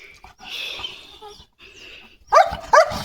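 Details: German Shepherd Leo in guard mode, angry at a passing sheep herd outside the gate: a quiet stretch with faint background noise, then two sharp, loud barks about half a second apart near the end.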